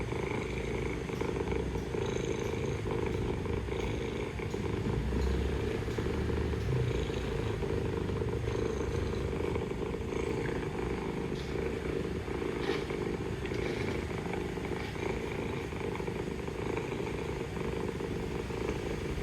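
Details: Mother cat purring to her kittens, a street cat among Istanbul strays; steady low rumbling purr runs unbroken through the recording, with faint higher squeaks and a constant background hum of traffic or engines.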